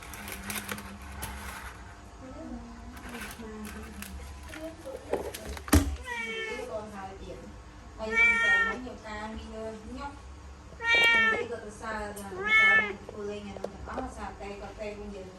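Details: Indoor kitten trapped in a laundry basket meows three times, each call rising then falling, spaced a few seconds apart. Soft human voices, rustling and a sharp knock are heard earlier.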